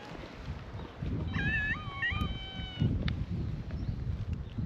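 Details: Feral cats welcome a visitor at a cat gathering on a Japanese cat island, one cat giving a long wavering meow that dips and rises for about two seconds, with low outdoor rumble and faint rustling around it.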